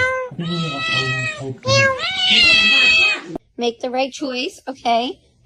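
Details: Cat meowing: a drawn-out wavering opening, then a quick run of four short arched meows, each rising and falling, with human speech mixed in throughout.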